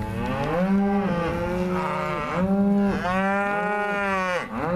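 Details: Four and five year old Angus cows, in calf to Bonsmara bulls, moo loudly and continuously. Several long, rich bellows follow one another with brief dips in pitch between them.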